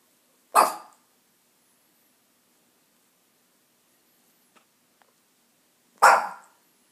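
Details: A dog named Ginger barks twice, about five seconds apart: short, loud, harsh single barks with quiet between them.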